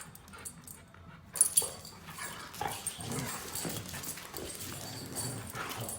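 Siberian huskies growl low and rumbling while wrestling in play, after a sharp sneeze.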